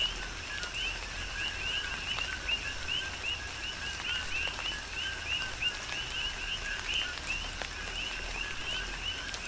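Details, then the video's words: Chorus of coqui frogs on Hawaii's Big Island during tropical rain, many callers repeating quick high upward-sweeping notes in an unbroken rhythmic pulse over steady rain patter and drips. "Tropical Rain & Coqui"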